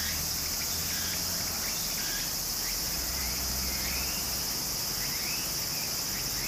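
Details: Cicadas in summer near a Japanese stream produce a dense, steady shrill hiss, with faint wavering chirps beneath and a continuous rush of moving water filling the lower range.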